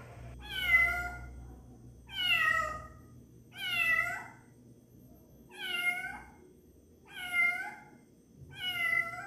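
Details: Six short, bright meows from a domestic cat at a steady pace, about one every one and a half seconds, over a low background rumble.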